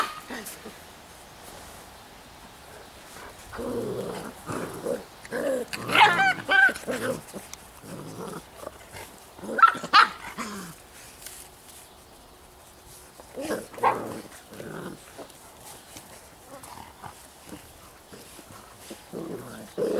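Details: Young Giant Schnauzers of the Blackmoore N litter yap and growl in uneven clusters, the loudest bursts near the middle, while human voices talk quietly in the background.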